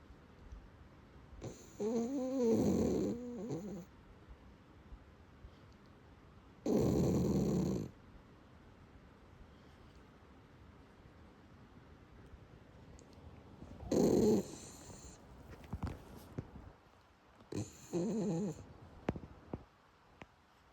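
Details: Sleeping Shiba Inu named 海苔寶, apparently having a good dream, snoring indoors: four loud, buzzy, rumbling snores at irregular gaps of about four to seven seconds, each lasting around one to two seconds, with quiet breathing between.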